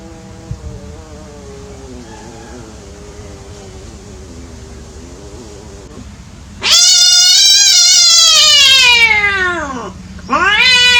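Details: Cats playing: a quiet, low, wobbling moan runs for six seconds, then a sudden loud, shrill meow bursts in, arching and falling away, followed by a second sharp cry starting.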